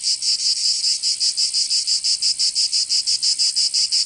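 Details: Cicadas singing in summer in Provence, southern France: a loud, high, buzzy pulsing drone repeated about three times a second in a steady rhythm, with no other sounds.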